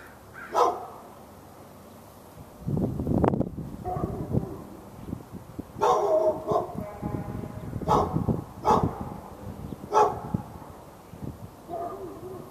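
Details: Backyard dog in Raleigh, NC, barking nonstop at the neighbour's dog and other dogs within earshot on February 15, 2012; scattered single barks mixed with rustling and thumping noise, with barks recurring every second or two.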